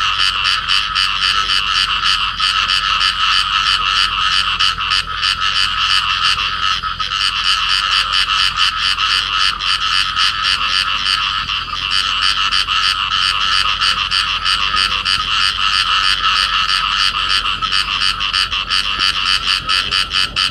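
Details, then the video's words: Field frogs, a pair clasped together in amplexus, calling: dense, steady stream of harsh rasping croaks repeated about three times per second, bright and buzzy, continuous throughout with no other clear sounds. "cặp nhái đồng ôm nhau kêu"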